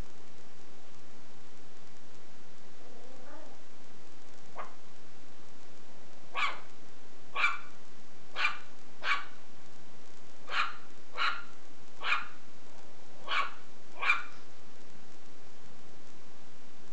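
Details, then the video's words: Shih Tzu puppy barking while playing with a belt: about nine short, sharp yaps over eight seconds, spaced roughly one per second, after a few faint softer sounds, with steady hiss like rain in the background. "ShihTzu puppy vs Belt"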